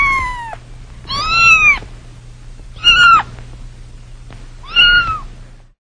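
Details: Four plaintive kitten meows, spaced about a second or two apart, each a drawn-out high cry bending down at the end, with a low background hum.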